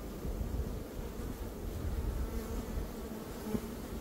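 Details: Swarming honey bees, one of two swarms caught in a single day in early May after a dearth; a dense, low rumbling drone of many bees with a faint steady hum running underneath, no other clear sounds.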